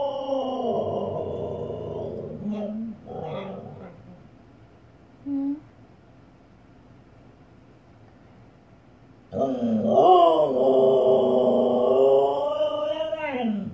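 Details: Female Siberian Husky barking at herself in the fireplace indoors: a long wavering howl, then short grumbling yelps and near silence with one brief sound. A loud, bending, yodel-like cry returns and lasts several seconds.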